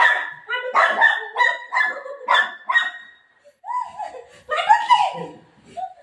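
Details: Golden retriever playing with its mom after running off with her dupatta: bright, harmonic yips and barks repeat about every half second for three seconds, then come looser whiny yelps, with a woman's voice talking.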